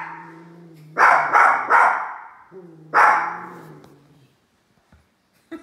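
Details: Two little dogs barking at a large toy, a quick triple bark followed by a single bark over a low sustained whine, then quiet.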